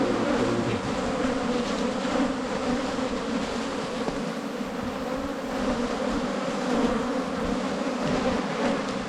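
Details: Asian honey bees, a wild cavity-nesting colony, buzzing during a honey hunt in the 2022 season: a loud, steady, droning hum of many bees with a low humming pitch and fluctuating intensity, with occasional handling noises nearby.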